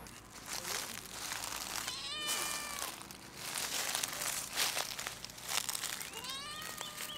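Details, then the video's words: Stray domestic cat meowing from a fence on a campus closed due to coronavirus; several harmonic, arching meows, one near two seconds and another rising then falling around six seconds, amid rustling and crinkling handling noise. "the cat meow at me on the fence"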